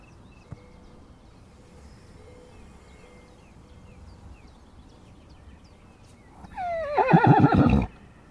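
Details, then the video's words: Horse in a mountain setting, part of a relaxed group with donkeys licking a salt block, recorded from about 20 meters away. A quiet stretch with faint bird tones gives way to one loud, shaky, descending whinny near the end. "Beautiful mountain with horses and donkeys in nature - HQ sound recording"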